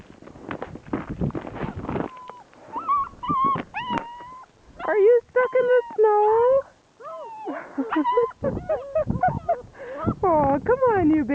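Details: Three six-week-old German Shepherd puppies on a rainy day, giving high, tonal whimpers and whines that bend up and down, often overlapping in quick bursts, after two seconds of scuffling noise, with a person coaxing nearby.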